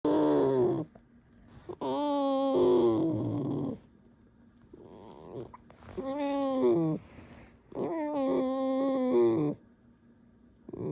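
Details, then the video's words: Alisa, a pet fox, squeaking: four loud, harmonic squealing bursts, each lasting about one to two seconds, with wavering, slightly rising then falling pitch, separated by short quiet pauses. "Алиса - лиса. Скрип в исполнении Алисы"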